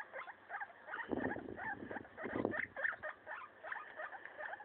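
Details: Maso the guinea pig destroying a leaf, repeated short rising squeaks throughout, with two bouts of crunchy rustling in the middle.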